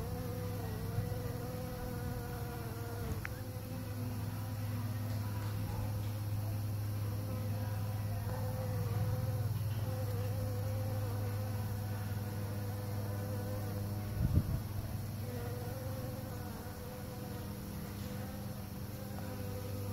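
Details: Bees at work pollinating, giving a steady low droning hum with a fainter wavering tone above it that rises and falls slightly. The hum runs unbroken for the whole stretch, with one short sharp knock about two thirds through.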